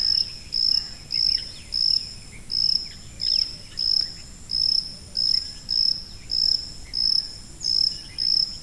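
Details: Regular high cricket chirps, short bright bursts spaced a little over half a second apart, continue through the recording with only faint background hiss.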